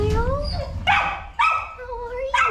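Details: Several puppies huddled together let out rising and falling whimpers and sharp yelps in three or four bursts, with a person's voice murmuring and faint background music.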